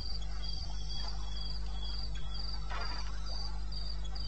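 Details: Cricket calling at night in the wilderness of eastern Botswana, Africa, recorded 21 May 16 at 02:30 AM: rapid, high-pitched chirps pulsing in quick regular bursts over a steady low hum, with soft scattered background rustles.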